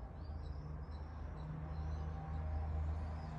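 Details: Basik, a pet cat, growling at its owner: a low, continuous rumbling growl that swells and holds steady, with faint high bird chirps in the background.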